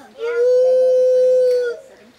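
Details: A white-handed gibbon named Stitches, a rescued female at a Florida sanctuary, answers a visiting young boy with one sustained pure hoot lasting about a second and a half, level in pitch and fading at the end.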